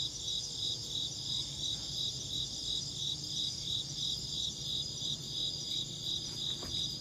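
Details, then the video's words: Insect chirps in a rapid, even series of high pulses, nearly three per second, layered on a steady shrill drone with faint low background noise and a brief click near the end. "Insect chirping sounds"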